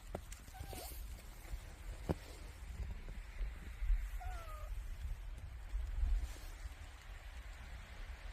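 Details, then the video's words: Cat in winter beside a wood fire, giving two soft, short meows, the second a slightly longer falling cry, nearly drowned by crackling and popping firewood and a low steady rumble. "야옹이의겨울2 장작소리.고양이소리"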